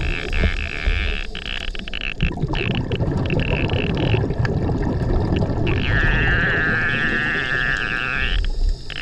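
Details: Recorded 14 March 2024 on a dive over Gorilla Chop Reef, whale song carries through the water as a drawn-out, steady tonal note, clearest near the end, nearly drowned by loud diver breathing bubbles and low rumble.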